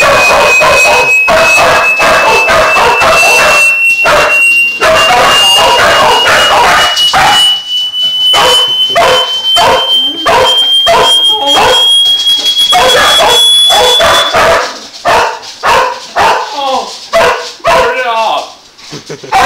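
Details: Dogs annoyed by a loud high-pitched noise bark and yip almost nonstop, in quick overlapping bursts over a slowly rising steady tone. The tone stops partway through, and the barking then thins and fades toward the end.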